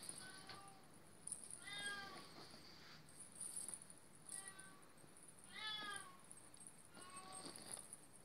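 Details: A domestic cat of Oriental or Siamese breed gives four separate drawn-out harmonic meows, each rising and then falling, spaced a few seconds apart, with a thin steady high whine in the background.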